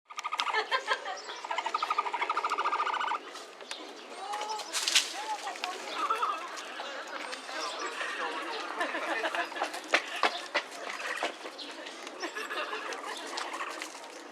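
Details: Capybara at Inokashira Park Zoo, filmed 19 February 2012, giving a chirring 'kyuru kyuru' call: a rapid, buzzy train of pulses lasting about three seconds at the start, followed by softer murmurs, clicks and background chatter.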